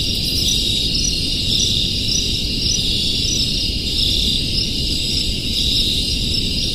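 A dense chorus of crickets trilling steadily over a low background rumble.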